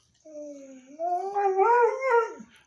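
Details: Sad-sounding dog howl indoors, starting low and soft, then rising and swelling louder with wavering, vocal-like inflections before tapering off after about two seconds.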